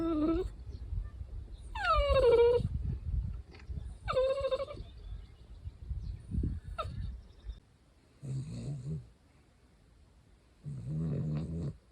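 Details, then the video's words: Pet Cavalier King Charles Spaniel Louis Philipp, tricolour, at home in Munich, Germany, makes high whimpers that slide downward, two longer ones and a few short ones, followed by two low rumbling noise bursts. "What does Cavalier sound like? Sound on!"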